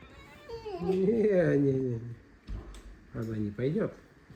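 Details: Alisa, a pet fox indoors in a kitchen, squeaks and complains while luring a person toward the fridge. A long, wavering, whiny squeal of about a second and a half is followed by two short rising squeaks.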